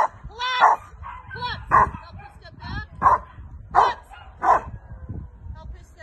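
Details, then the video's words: Carma, a female Rottweiler, barking during protection training with a helper: five loud, harsh barks spaced roughly a second apart, with a voice talking in between and a low rumble of background noise. "Rottweiler protection training"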